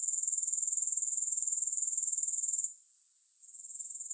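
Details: Grasshoppers produce a thin, high, rapidly pulsing buzz that drops away suddenly after under three seconds, leaving near-quiet hiss before the trill creeps faintly back in.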